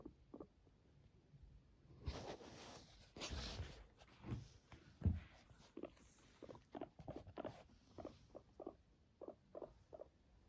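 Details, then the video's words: Pet guinea pig yawning and purring: a few louder breathy bursts early on, then a run of short, low, evenly spaced purring pulses repeated about twice a second through the second half. "Cute yawning and purring of a guinea pig."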